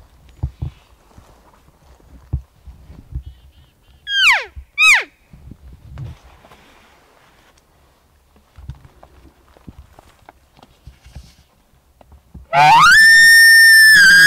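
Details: Bull elk in September 2018, a tentative, not fully mature bull that bugled in answer to hunters' calls on an archery hunt. Two quick, high, falling whistles come midway, then a loud, sustained, harmonic-rich bugle closes after quiet rustling and footsteps.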